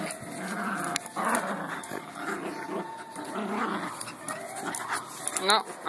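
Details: Beagle named Anary growling while playing: low rumbling growls come in short bursts across the clip, overlapped by Spanish speech, with a brief higher whine near the end.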